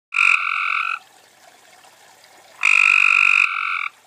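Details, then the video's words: At night in June 2013, at a garden pond in Carroll County, Maryland, a Cope's gray treefrog calling to others gives two harsh, buzzy trills, each under a second long. "Cope's Gray Treefrog - Maryland"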